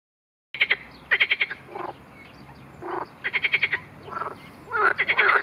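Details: Marsh frog, with a grass snake attack on it mentioned, giving loud rattling croaks in short bursts of rapid pulses, separated by brief gaps and softer, broader croaks; a chorus of several frogs.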